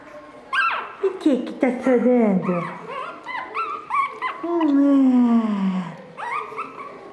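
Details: Chocolate Shih Tzu puppies from a June 2013 litter at a Brazilian kennel, playing indoors: a run of high, sliding whines and yelps with low drawn-out growl-like moans, overlapping a woman's voice.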